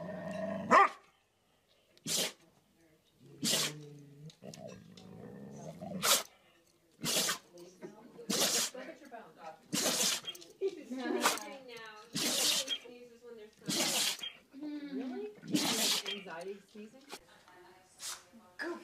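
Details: Summer, a female pet dog, sneezes over and over, sharp explosive bursts arriving about once a second for nearly twenty seconds, with soft snorting breaths and a woman's murmured words in the pauses.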